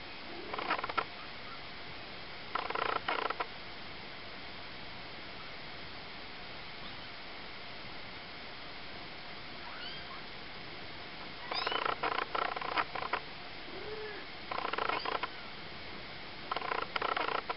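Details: Four Ocicat kittens three weeks old, three females and a tawny male, utter brief rising mews and scratchy broadband bursts spaced several seconds apart, with long quiet stretches of faint hiss between them.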